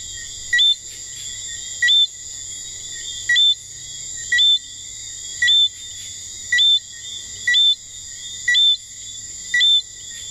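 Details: A St Lucia tree frog sings at night in St Lucia, giving short, high whistled notes about one each second over a steady insect hum.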